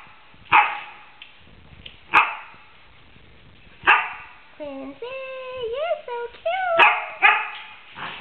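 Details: Female Samoyed Athena yowling in 2008 during mullet fishing, with a male Samoyed and a Maltese-Pomeranian nearby; sharp knocking sounds every second or two, then a run of wavering, rising and falling musical yowls midway.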